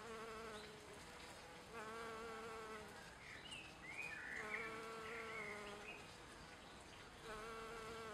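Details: A western honey bee drinking nectar and collecting pollen on dandelion, Leiden, Netherlands, 28 April 2014: a steady, low droning hum swelling and fading as it flies close by.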